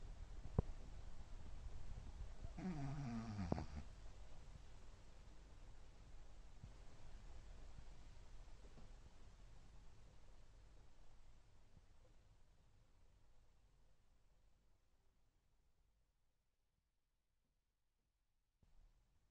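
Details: Shih Tzu Chihuahua mix dog snoring indoors: low, rumbling, rapid breaths that slowly fade to near silence after about fifteen seconds, with a brief squeaky, harmonic noise near the three-second mark.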